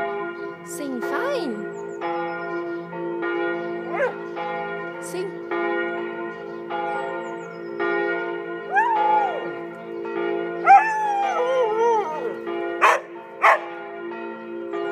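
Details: Border Collie George, in Tiergarten, Berlin, howling like a wolf with the church bells for the first time. Several wavering howls rise and fall over steady, layered bell ringing. Later howls overlap in wobbly tones, with faint voices nearby.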